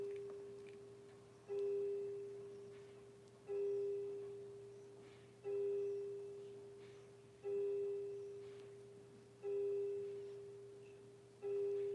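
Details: A clear ringing tone like a tuning fork or chime strikes about every two seconds and fades, over a quiet low hum, with no animal voices present.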